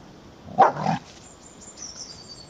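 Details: Dobermann named Magmar Von Der Burgstätte during training: one short, sharp, gruff bark lasting under half a second, followed by near quiet with a faint high tone drifting in the background.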